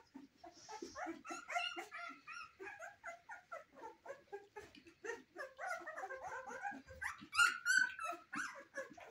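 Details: Cane Corso puppies in their first weeks of life, giving a dense stream of short, overlapping whimpers and squeaks, mostly mid-pitched with some higher squeals, several per second without pause.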